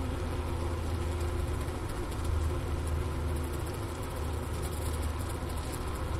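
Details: Honey bee colony wintering in a hive at the Wooster campus of Ohio State University, around 4 PM on January 16, 2024, with 15°F outside. It was recorded on a Sony ICD-PX370 near the inner-cover hole beside leftover sugar brick. The hum is a steady, low, dense drone.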